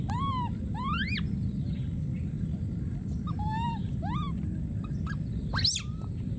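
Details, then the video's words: Wild monkey baby crying out for his friend: rising and arched tonal wails, a pause, further falling and rising calls, then a sudden harsh scream, all above a continuous low rumble. "this p.o.o.r wild monkey baby keeps s.c.r.e.a.m.i.n.g and calling for his friend"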